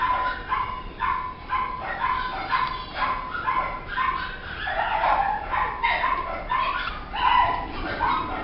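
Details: Female red Shiba Inu puppy born 2014 at a pet shop, giving rapid repeated high whining yips, several per second, steady throughout with slight variation in pitch.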